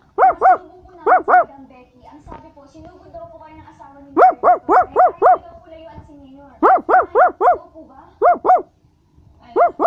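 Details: Basset Hound barking in quick bursts of two to five loud, ringing barks, separated by short pauses of quieter background noise.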